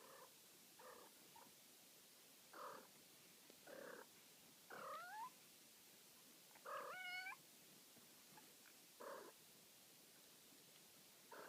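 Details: Ragdoll kittens almost six weeks old playing in the morning, heard from a bed: short high mewing calls, some with bent, wavering pitch, given in separate bursts about every second or two, over a quiet room.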